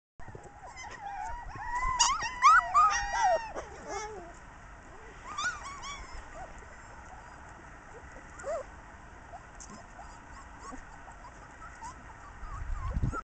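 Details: Two-week-old Siberian Husky puppies with their mother whimper in high, wavering squeals that rise and fall, bunched early and then scattered.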